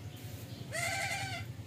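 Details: Domestic goat, said to be refusing to suckle, gives one wavering, nasal bleat of about 0.7 seconds with a steady harmonic stack, over a constant low electrical hum.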